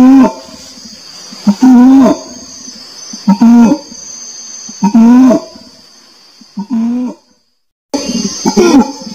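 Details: Repeated low, harmonic orangutan calls arriving roughly every two seconds, some with brief rising tails, interrupted by a short silent break before one more call; a continuous high-pitched drone runs throughout.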